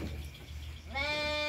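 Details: Lamb born at midnight: low background hum fills the first second, then a clear harmonic bleat starts abruptly and holds steady to the end.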